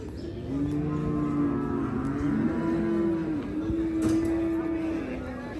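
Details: At Hazratpur cattle market, cows coming off a truck give a sustained, slightly wavering moo lasting about four seconds, then fade, with market hubbub and clattering in the background.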